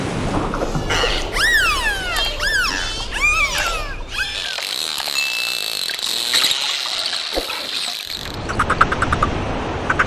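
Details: Dolphin underwater, with repeated arched whistles that rise and then fall in the first half. A steady high tone follows, then a short rapid burst of clicks near the end, all over hissing water noise.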